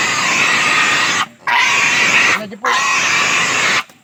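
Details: Native pig being castrated, giving drawn-out, shrill, raspy screams that fill most of the span, with two brief gaps for breath between them.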